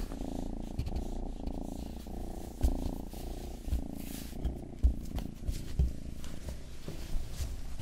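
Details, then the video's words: Indoor pet cat Rang-i, the household's youngest, purrs while licking an ear-shaped microphone; deep continuous rhythmic rumble dominates, overlaid with intermittent moist lapping and small clicking licks, no other voices. "ASMR 하는 고양이!(Purring & ear licking sound)"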